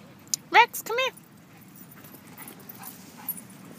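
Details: Rex, a dog playing at a dog park, lets out two short, high, bending yelps within the first second, followed by a quiet stretch of low background rumble and faint scattered sounds.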